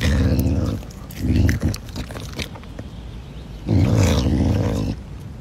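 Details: Pumba the caracal, busy eating chicken, gives deep raspy growls, one long burst at the start and another near the end, with quieter chewing and rustling sounds in between.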